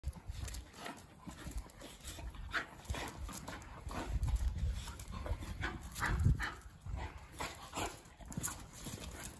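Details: Two Miniature Bull Terriers, Ragnar and Kodi, wrestling together at play; rough scuffling bursts with panting breaths and low thuds, short snorts and grunts rising through the struggle.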